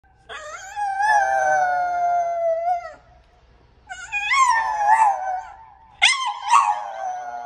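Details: French Bulldog "singing" I love you in a howling voice: one long wavering note of about two and a half seconds, then two shorter rising-and-falling howled phrases after pauses, strong harmonics, quiet indoor background.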